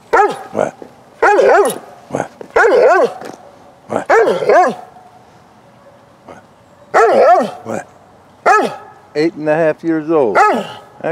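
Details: Eight-and-a-half-year-old female Bernese Mountain Dog, playful while rolling in cold weather, November 2017: repeated loud barks in short bursts of two or three, with a drawn-out yowling bark near the end.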